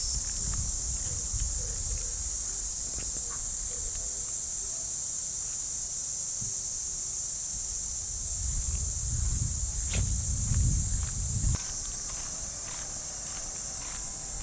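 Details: Early summer morning in a Japanese park, cicadas singing from the trees as one continuous high shimmering buzz, while a walker's footsteps crunch on the path and grass rustles now and then.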